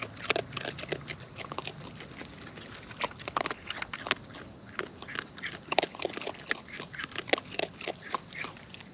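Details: Raccoons in the wild chew food up close, producing rapid, uneven bursts of crisp clicks and crunches, several per second, with no other clear sounds beyond a faint steady hiss.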